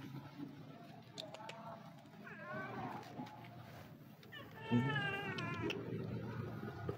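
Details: Stray street cat seeking attention gives two meows, a short rising one then a longer wavering cry, while a person calls to it softly amid low outdoor rumble.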